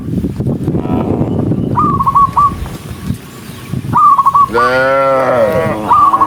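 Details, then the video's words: Dozens of tame cattle on the move. Shuffling and rustling noise comes first, then short, high, repeated chirps, and finally one strong, drawn-out moo that swells and fades near the end. "cow Sound cow Moo"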